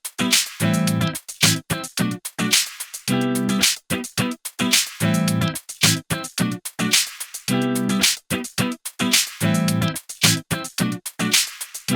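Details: Upbeat plucked guitar music with a steady funky rhythm of short bursts and brief gaps plays throughout, and no animal sounds.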